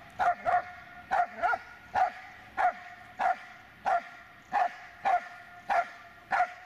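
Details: Dobermann Magmar Von Der Burgstätte barking steadily, about ten clipped, ringing barks at a regular pace of roughly one every half second to second, some in quick pairs, over a faint hum.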